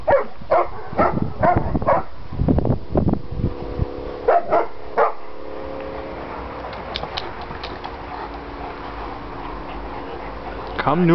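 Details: Landseer dogs Aiko, his sister Adina and their mother Zindy playing noisily together during a family visit; a rapid run of sharp, loud barks fills the first five seconds, then quieter rumbling with a low steady hum before one final bark.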